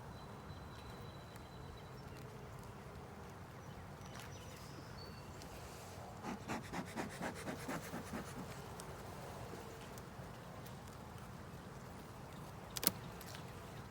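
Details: Honey bee colony in a 10-frame deep hive with a honey super, opened for inspection with the queen active in the top box; low steady hum, a burst of rapid pulsing buzz midway, frame-handling scrapes and a sharp knock near the end.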